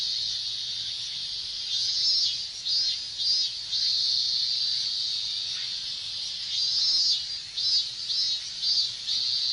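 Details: Minmin cicadas singing together during Japan's summer heat, a constant high shrill drone with rhythmic pulsing swells, one run of beats near the start and another toward the end.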